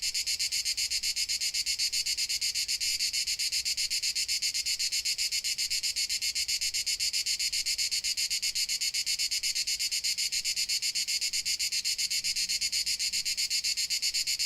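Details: Crickets in Dalmatia: a dense, high, shrill chorus of rapid, evenly spaced pulses that runs steadily throughout with no pauses, with only faint low background rumble beneath.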